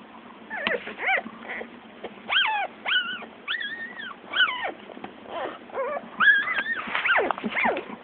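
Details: Newborn Shih Tzu puppies, one day old, giving high thin squeaking cries, rising then falling, in short bursts roughly every half second to a second, several pups calling over one another.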